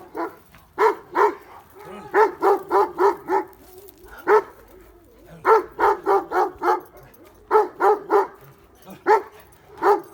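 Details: Kangal shepherd dogs bark in loud, deep bursts of rapid woofs, agitated by wolves howling nearby during a night wolf watch; a lone wolf separated from its pack is suspected.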